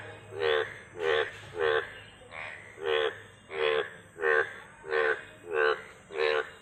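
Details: Frog croaking in a steady series, about nine harsh, pulsed croaks with a strong low core and rough upper harmonics, repeated roughly every 0.7 seconds over a faint steady hum.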